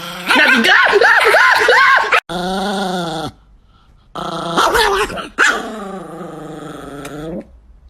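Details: Chihuahua puppy giving a warbling, wavering growl-whine for about two seconds, followed after short breaks by longer, steady, nasal whining tones rich in overtones, each held around a second before cutting off.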